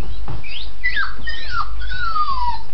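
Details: Labradoodle puppies about 8 weeks old, named Carbine and Tait, giving high, thin whines that slide downward in pitch, three or four drawn-out cries in quick succession over a low steady hum.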